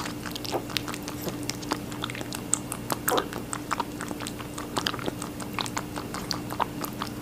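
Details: Rabbit chewing watermelon in a small room: soft, fast, moist nibbling clicks and occasional crisp crunches, fairly quiet and even throughout, over a faint low hum.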